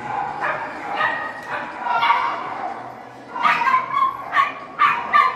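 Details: Poodle competing in the small-size individual agility run at an international poodle championship, giving a few muffled barks early on, then a quick burst of sharp, repeated barks in the closing seconds over an announcer's voice and arena murmur.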